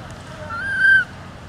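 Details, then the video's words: Newborn monkey crying loudly after another mother monkey took it: a single clear, tonal, whistle-like cry lasting about half a second, holding steady and then rising slightly before cutting off, over a low background hiss. "Newborn Crying Loudly Cos It Was Stolen By Other Bad Mom Monkey"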